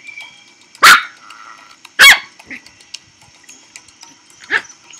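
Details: Teacup Poodle puppy barking: two loud, high yaps about a second apart, then a softer third bark near the end, over a quiet background with a faint steady hum.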